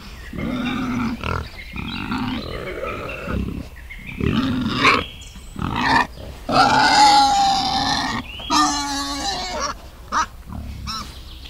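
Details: Wild boar with piglets in a forest, grunting and squealing almost continuously, rough harmonic grunts mixing with higher drawn-out squeals and brief pauses, loud and close throughout.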